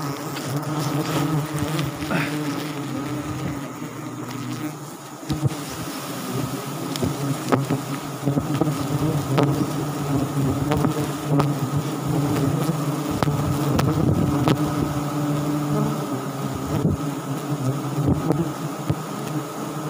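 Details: Wild forest bees buzzing in a mass at a sialang honey tree in South Sumatra as the nest is harvested; a steady low drone throughout, with brief clicks and rustles over the humming.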